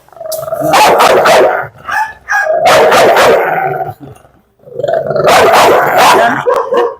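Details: Barking dog provoked during a bite challenge, three loud, rough bouts of barking about two seconds apart, with short pauses between them and men talking nearby.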